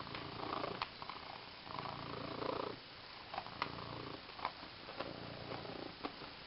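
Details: A female house cat purrs as she plays with her new green fish toy; breathy rumbling purr in long swells for the first three seconds, then quieter with scattered clicks and knocks.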